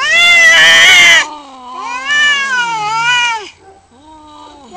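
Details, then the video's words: A harsh, loud screech from fighting cats gives way to a wavering, bending yowl and then a quieter low moan as the confrontation goes on. "CAT VS CAT FIGHT"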